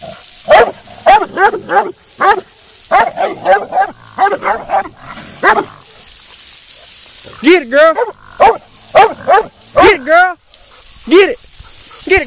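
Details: An almost 2-year-old female Black and Tan Coonhound in show training bays in short, ringing, rising-and-falling barks, repeated in quick bursts.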